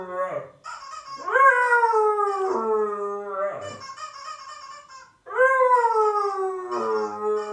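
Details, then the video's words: Siberian Husky howling in reaction to an annoying sound; loud rising-then-falling howls, each climbing sharply then gliding down over about two seconds, three main phrases with whimpering breaks between. "the Husky howling to annoying sound"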